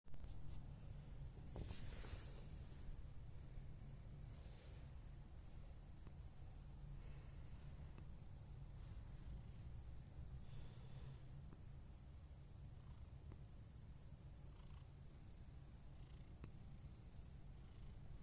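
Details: Riana, a Scottish Fold cat, recorded 29 November 2021 indoors: a steady, soft, low rumbling purr runs throughout with little variation, broken only by a few faint rustles and brief clicks.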